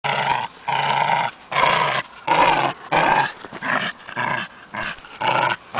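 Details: German hunting terrier growling in short rhythmic bursts, about eight rough, harmonic pulses in six seconds, each roughly half a second long with brief gaps, steady and insistent; no other clear sounds.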